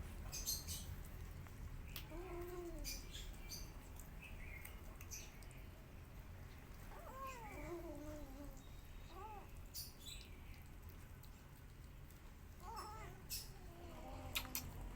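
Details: Rescue cat and kittens eating together: short, high, arched mews at about 2, 7, 8, 9 and 13 seconds, some in quick pairs, over steady sharp clicking and tapping noises throughout.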